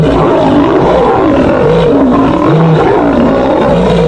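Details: Lions in a fight give deep, rumbling growls with low harmonic tones that waver and sweep up and down, sounding dense and nearly unbroken throughout.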